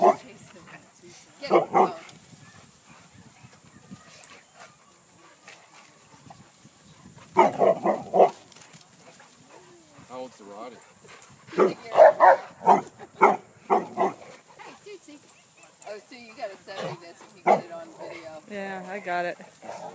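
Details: Dogs playing at Lloyd Ave. Dog Park, attacking a tree; a run of short, loud barks in bursts around two, seven to eight and eleven to fourteen seconds, with people talking between them.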